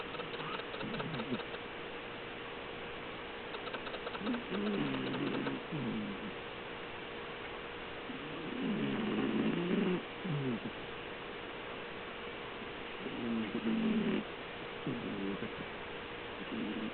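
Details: Sleeping house cat Melinda snores in three slow, drawn-out rattling breaths about four seconds apart, each a low grinding rasp, against a quiet steady hum.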